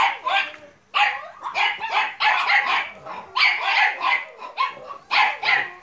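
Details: Yapping puppies of American Staffordshire Terrier and Staffordshire Bull Terrier breeds, Terierkowo, 30 July 2017, bark in high, hoarse clusters with short gaps, a soft human voice faintly beneath.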